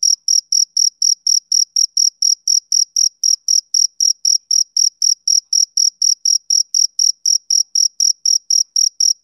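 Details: A male cricket keeps up a regular, shrill chirp on a summer evening, each brief pulse following the last at a brisk four-per-second rhythm, with a silent background.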